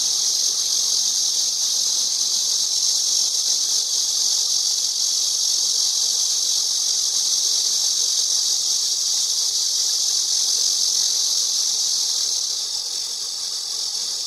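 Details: A cicada's song, noted as not the prettiest cicada sound, fills the recording as an intense, steady high-pitched buzz lasting the full span, easing a little near the close, no other sounds standing out.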